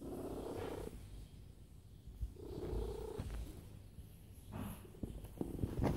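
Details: Domestic cat lying down and purring loudly, a low rumbling drone with warmer bursts that swell and fade in rhythm with its breathing, about three cycles in six seconds.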